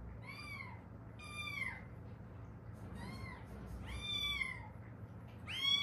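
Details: Haeundae stray cats, mother and daughter, rescued after years on the street with an accident-broken bone; five clear, high meows, each rising then falling, spaced about a second apart indoors.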